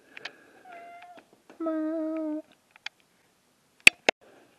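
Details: Domestic cat named Rufus, indoors, acting wild: two drawn-out harmonic meows, the first soft and short, the second louder and steady for almost a second, with scattered clicks and knocks around them.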